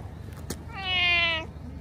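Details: A single clear, sustained meow with a slight falling end from a stray orange tabby at a fishing port as it is stroked and rubs against feet, preceded by a soft tap, low background hum.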